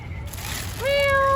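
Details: Calico domestic cat giving a single meow starting near 0.85 seconds, a steady harmonic tone held to the end; the opening is quieter background noise.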